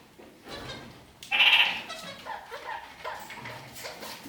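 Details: Kakariki kept indoors, walking upside down on a ceiling, gives one loud, bright, piercing call of about a third of a second. Softer nasal chattering notes and faint rustling follow.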